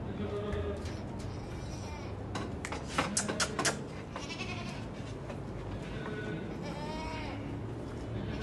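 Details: Black Teddy goats with four adult teeth bleat; one wavering, bending bleat stands out near the end, over a busy background of voices, knocks and clatter.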